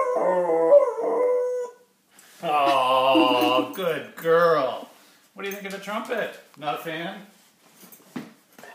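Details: One-year-old female Golden Retriever howling along to a trumpet indoors: long, wavering tonal howls with rich overtones, rising and falling, in several separate phrases split by short pauses, mixed with trumpet notes.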